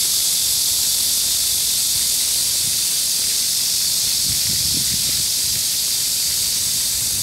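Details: A dense, steady wall of high, hissing cicada song in a Seoul culture park on a hot midsummer day, 14 July 2022, 31°C, with a low splash of fountain water beneath.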